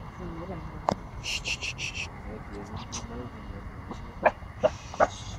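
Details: A 14-week-old Pomsky puppy gives a few sharp, high yapping barks in quick succession at a big dog before running away scared, with voices in the background.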